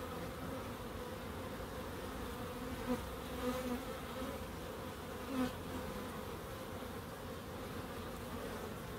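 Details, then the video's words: Steady humming of bees in a small urban wildlife garden in Crookes, a dense continuous drone with a few brief louder swells as individual insects pass close, around three to five and a half seconds. "1hr of Relaxing Bees"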